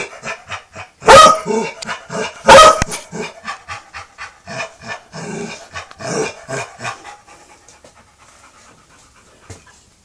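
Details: Pet dog named Peter arguing with a vacuum cleaner: two loud sharp barks near the start, followed by rhythmic grumbling growls and huffing breaths that fade away after about seven seconds.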